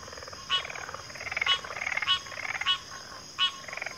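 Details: Several frogs calling together: crisp clicking pulses at uneven intervals, with rising and falling rattling trills weaving between them.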